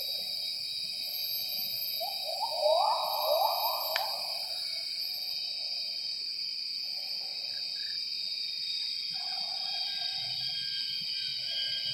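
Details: Morning gibbon song, 07:58, in primary forest at Semenggoh near Kuching, Borneo: a loud burst of quick rising hoots for about two seconds, then faint distant answering notes, under a steady ringing chorus of forest insects.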